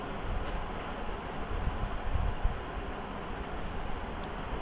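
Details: Steady low rumble of a passing train or vehicle dominates, with a few soft knocks and no animal calls.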